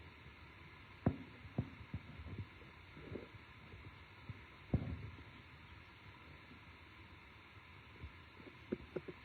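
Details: Low rumbling hum with scattered soft thumps and knocks, and no animal calls heard.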